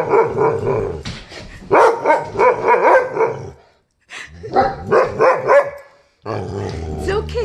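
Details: A poodle, unhappy that a Great Dane and a St. Bernard are playing, barks in rapid, harsh bursts while a person tells it to stay and calm down.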